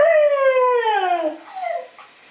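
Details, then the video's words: Young Siberian Husky giving a single long howl that starts high and steady, then slides gradually downward and fades, with a faint second voice briefly at the end. "Young HUSKIES HOWLING"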